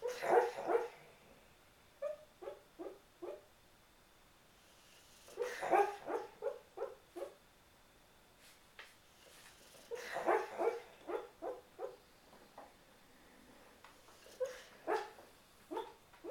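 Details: Boxer dog asleep and having a bad dream, talking in his sleep: muffled short woofs and yips come in clusters of four to six, each burst separated by a few seconds of quiet, in a quiet room.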